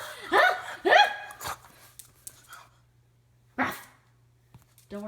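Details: Pug named Sophie making funny noises while playing with her owner indoors: two loud, rough harmonic growl-barks close together, then a fainter one, a pause and a sharp huffing burst, ending with a rising nasal whine.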